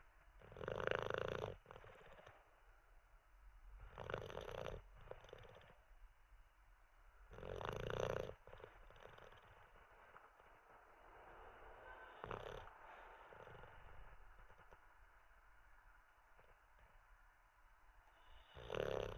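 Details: Sleeping Olde English Bulldogge snoring: a run of loud, rough, rasping snores every three to four seconds, separated by softer wheezy breaths, with a quieter stretch in the middle before a final loud snore.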